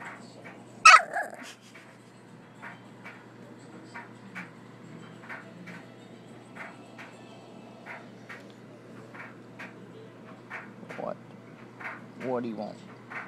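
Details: Young bully dog trying to wake its owner: one loud bark early, then quiet ticking, followed by two rising, wavering whines near the end.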